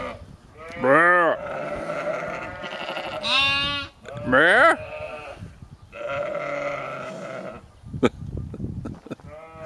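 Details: Sheep in Skåne, southern Sweden, bleating loudly: wavering, harmonic-rich calls with a falling tail at about one and three and a half seconds, another near four and a half, then quieter bleats and a sharp click near eight seconds.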